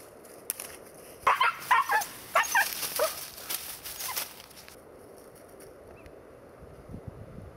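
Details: A 4-month-old female Siberian Husky, out deer hunting in Sweden, gives a quick series of high, yelping barks, then falls quiet.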